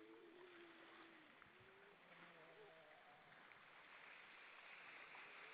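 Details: Evening chorus of grey seals hauled out on rocks off Vilsandi, Estonia, 22 October 2012: a few long, level, mournful wails, then a low steady hum and short wavering notes, all under a loud constant roar of surf.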